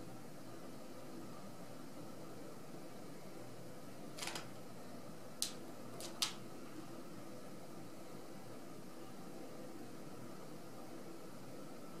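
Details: Steady fan-like indoor hum fills the room, broken only by a few short sharp clicks.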